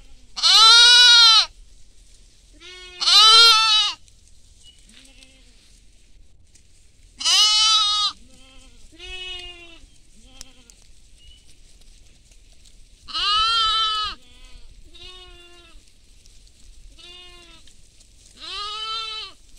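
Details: Goats feeding in a field among sheep: loud, drawn-out, tremulous bleats repeat at uneven intervals, answered by softer, shorter bleats from other animals, over a quiet background.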